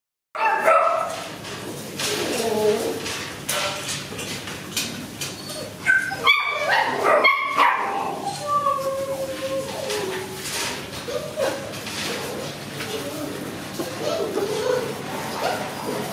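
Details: Maltese puppies, offered for sale, give high yips and whimpering calls with some barking, several overlapping, while a person speaks in the background.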